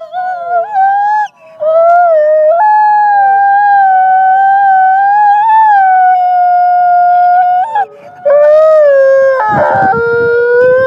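Wolves howl in long, steady, mournful tones, several voices overlapping at slightly different pitches.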